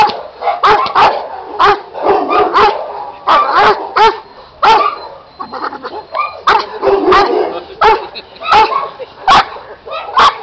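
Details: Giant Schnauzer puppy, eight months old, giving a run of short yipping barks and arching, whiny vocal calls in uneven bursts about every half second to a second, with some mid-pitched harmonic moans between them.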